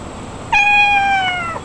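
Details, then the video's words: Domestic cat meowing to call its owner: one clear, drawn-out harmonic meow lasting about a second, holding steady and then dipping slightly at the end, over faint background hiss. "Kucing Mengiau Panggil Tuannya"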